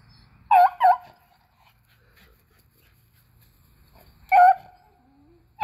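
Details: Beagles Athena, Zeus and River, hunting squirrels on April 21, 2020, let out a quick double bark, a long quiet gap, then one louder drawn bay.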